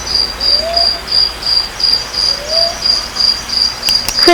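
A cricket chirps steadily, high, bright pulses repeating about three times a second.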